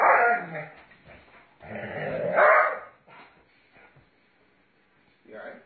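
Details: Doberman Pinscher growling and barking during rough play with its owner; harsh, broad growls in two long bursts near the start, then a shorter one at the end, with a man's voice talking over it.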